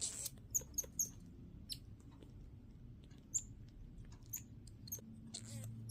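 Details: Pet Midas tamarin weighing a little over 1 lb gives brief, very high, thin chirps, spaced irregularly over soft handling noise.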